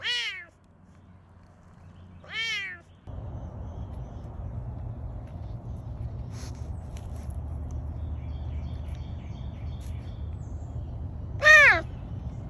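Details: Serval at a Tampa, Florida big cat sanctuary, rescued from the Arizona desert, gives three loud, high, meow-like calls that slide downward, with a steady low hum between them.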